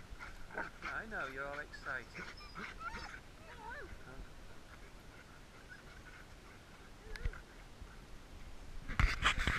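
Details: Dogs greeting their owners on being picked up after three and a half weeks away: rising and falling high whines and excited yelps, then quieter stretches and a burst of noise at the end, with some human voices.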